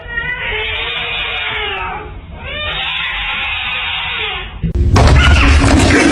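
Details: Pet cat letting out two long, wavering caterwaul-like yowls, each lasting about two seconds with a steady buzzy tone, ending abruptly in a loud burst of rustling noise.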